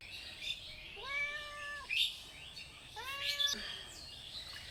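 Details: Domestic cat with two clear, drawn-out harmonic meows about two seconds apart, each rising slightly then holding steady, with light clicks and faint household noise between them.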